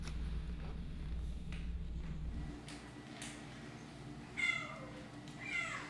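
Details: Kittens playing with straws indoors; after a stretch of soft bumps and low room hum, two short, bright, falling meows ring out near the end, the second slightly longer.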